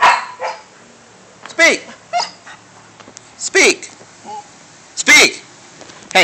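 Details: Pet dog named Dante barking on command as he is repeatedly told to speak; short sharp barks and yips with falling tails, spaced about a second or more apart, between a person's voice urging speak.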